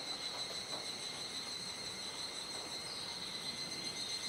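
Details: Cicadas in a dusk chorus at Kuji, Iwate Prefecture, Japan, on 17 July 2017 around 19:11–19:25, during the rainy season: a steady, shrill, high-pitched drone with layered ringing tones and no clear breaks.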